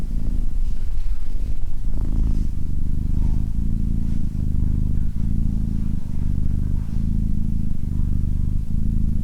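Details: Low rumbling cat purr, irregular for the first two seconds with a slight rustle, then settling into steady rhythmic breath-paced cycles about every 0.8 seconds.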